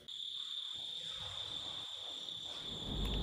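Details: Crickets at 8 pm outside a hotel at Rinchenpong, West Sikkim, on a clear, silent night. They give a steady, unbroken, high, thin trill, and a person talks softly underneath.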